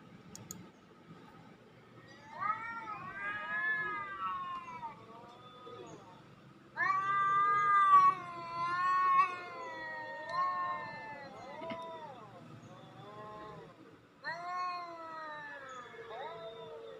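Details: Long wailing cat calls played to attract cats and test a cat named Nuan's reaction: three drawn-out, rising-and-falling yowls, each several seconds long, over a quiet background.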